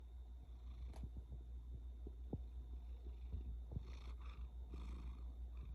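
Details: A sleeping blue point bicolor Ragdoll kitten snores indoors: a soft, steady low rumble throughout, with faint clicks and a few brief rustles near the end.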